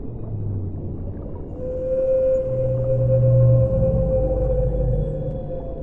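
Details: Underwater whale song with a long, steady, sustained tonal moan, joined by deeper droning low notes, over a continuous murky underwater rumble.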